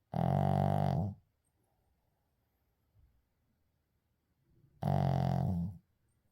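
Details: Shih Tzu asleep indoors, recorded without editing, gives a deep rattling snore, a pause with a faint soft breath, then another rumbling snore of about one second.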